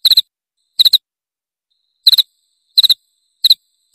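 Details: A cricket heard as a rat-repelling sound: six short, high chirps of two or three fast pulses, irregularly spaced with a gap of over a second in the middle, and otherwise silence.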